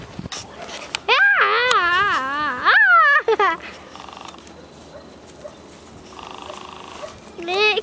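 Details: Drawn-out wavering cries from thirty-day-old Vizsla puppies of Dea Kalì x Fiuto: a long quavering whine for about two seconds, a sharper falling squeal, then quieter murmurs and a final rising yelp, with faint background chatter.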